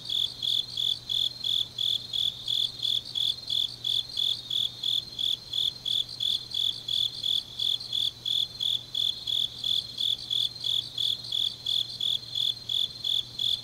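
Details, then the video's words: Grass insects singing on a deep autumn night in Changnyeong, Korea, a long run of sharp, high chirps repeated nearly three times a second without pause, layered over a fainter shrill trill and a steady low hum. "깊은밤 가을 풀벌레 소리"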